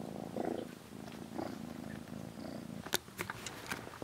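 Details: Rescued kitten Aira, 27 days into care, shares a cat-room bed with Shipi and sleeps touching Shipi's hind legs; a low pulsing purr comes first, then sharp clicking and rustling noises.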